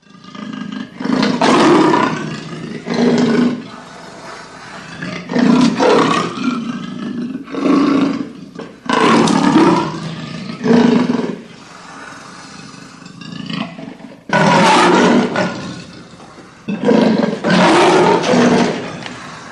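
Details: Leopard (Panthera pardus), roar.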